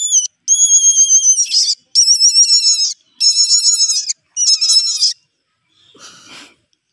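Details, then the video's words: Baby rabbit screaming: four long, piercing high-pitched cries with wavering, stacked overtones, each lasting about a second with short gaps between, followed by a faint brief rustle. "Baby Rabbit screaming"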